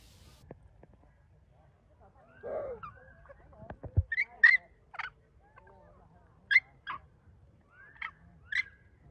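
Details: Baby macaque abandoned by its mother cries while lying on the ground, opening with a low groaning note, then bursts of short, sharp, high squeals spaced a second or two apart.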